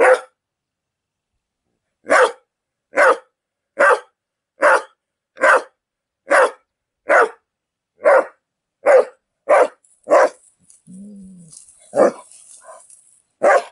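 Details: Dog barking in a steady series of sharp, evenly spaced barks, about one per second, followed by a brief low growl-like sound and a few irregular barks over faint background noise.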